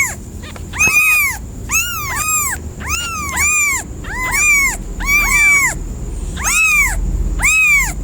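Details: Cat producing a series of short, clear rising-and-falling meows, often doubled or overlapping, repeated about once a second for eight seconds, with a faint constant high whine behind them.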